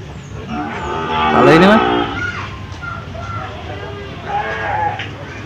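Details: Cow at the Jonggol livestock market, offered for sale, gives one loud rising bellow lasting about half a second amid constant trader voices and general market bustle.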